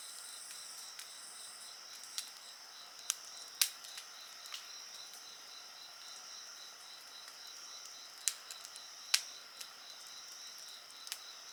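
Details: Night insects keep up a continuous high, thin ringing and a softly pulsing trill, while a campfire adds frequent dry cracks and pops over the chorus.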